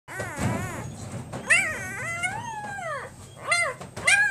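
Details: Male Great Pyrenees puppy, born 29 October, giving a few high arched whining cries that rise and fall, one long drawn-out wail in the middle, with short gaps between calls and a faint low hum beneath.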